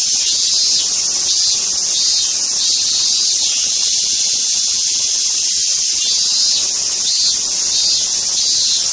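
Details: Cicada calling: a dense, steady, high-pitched hiss-like buzz that fills the whole stretch without a break, its loudness barely wavering, with a faint regular pulsing within the drone.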